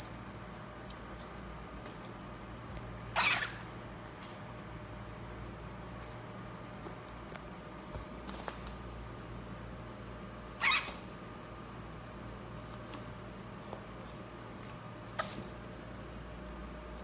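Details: Female pet ferret digging in dirt and sneezing repeatedly; four strong, sudden hissing sneezes spaced a few seconds apart, with lighter snorts and soft scrabbling of dirt between them.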